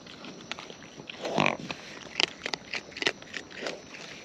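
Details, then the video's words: Wild raccoons feeding close up, their eating producing crisp, irregular crunching clicks scattered through the moment, with a brief louder rough burst in the middle and a steady faint hiss behind. "Wild Raccoons & ASMR Chewing Sounds"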